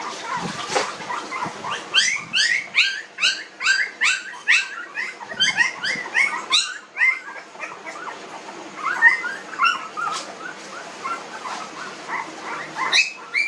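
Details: Young puppies, nineteen days old, let out a quick run of short, high yelps that repeat rapidly, then the cries ease into softer, scattered whimpers.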